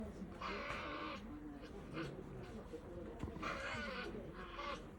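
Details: Tasmanian devils giving harsh, raspy bursts of noisy screeching, two main outbursts, each about a second long, separated by quieter rumbling and faint human voices in the background.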